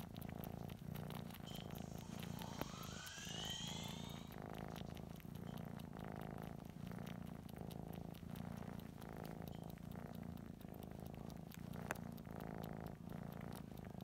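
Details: Purring domestic cat sucking a stuffed toy; a steady deep rumbling purr runs the whole time, with a few brief rising squeaky whistles early on and soft sucking clicks.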